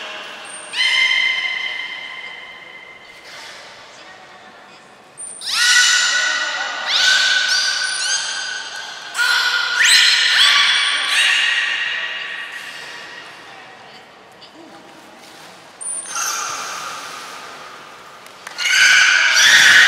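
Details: Beluga at the Port of Nagoya Public Aquarium during a morning health check before the 11:00 public training session, 19 May 2021: bursts of bright harmonic squeals and whistles, some sliding, spaced by pauses, with short high steady whistle tones in a reverberant hall.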